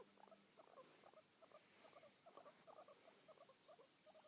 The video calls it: Guinea pig( dusty )making purring noise